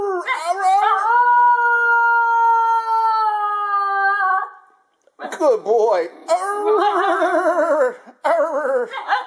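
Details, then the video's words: Indoor Basenji howl: a long level tone held around three seconds, followed after a pause by quick wavering, yodel-like warbling notes rising and falling in pitch. "Harley the Howling Basenji"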